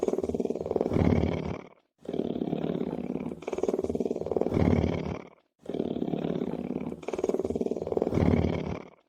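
A lion purrs in deep, pulsing rumbles that swell and fade with each breath.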